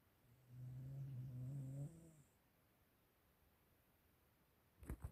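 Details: One long, low, buzzing snore from a Siberian Husky, lasting about two seconds with a rich rasp of overtones, followed by near silence and a few sharp clicks or knocks at the very end.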